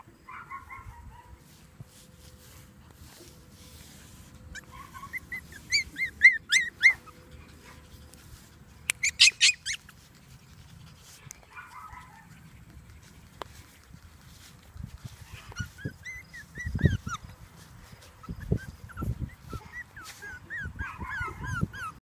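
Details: Female Pomeranian playing outside with her sister and brother: bursts of high, squeaky yips and whining cries in quick runs, with low thumping rumbles in the later part.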